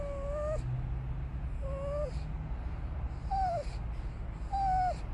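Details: Pet dachshund Harley riding along at a Sonic drive-thru: four high, falling whimpers about a second apart against a constant low rumble of the car.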